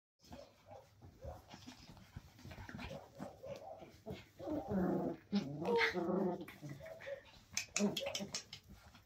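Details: Cairn terriers at evening play give a busy, uneven stream of low growls, nasal whines and sharp yipping barks, overlapping and rising and falling in pitch, peaking in a louder burst before settling.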